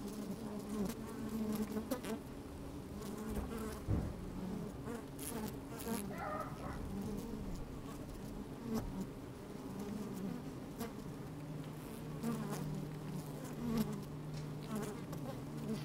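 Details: Honey bees at work in an open hive on a sunny day with a bit of wind, microphone inside the hive; a constant low droning hum, occasional louder buzzes and knocks, and a steadier tone near the end.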